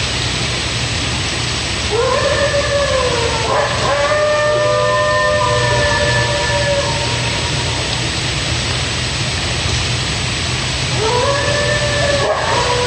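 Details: Coyote calling ahead of the rest of its pack: long sustained howls that swoop upward and then level off, with overlapping voices. There is a pause mid-clip, then a fresh rising howl, all over a noisy hissing background.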